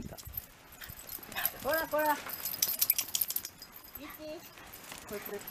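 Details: Shiba Inu father-and-son pair at a reunion with the owner's sister and niece, recorded about a week before 4 December 2018; two short rising-falling whines near the two-second mark, then softer whimpers later, over people talking.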